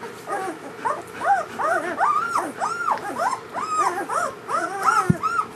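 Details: German Shepherd newborns of Ulra's first litter whimper continuously, overlapping arched squeals and whines from several pups, rising and falling in quick succession, with one sharp knock near the end.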